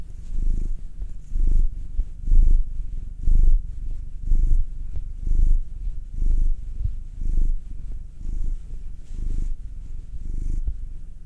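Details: Massaged pet cat purring, one of two: a nine-year-old black male or a two-year-old tortoiseshell Munchkin female. Rhythmic low rumble rising and falling about once per second across the whole stretch, recorded close up indoors.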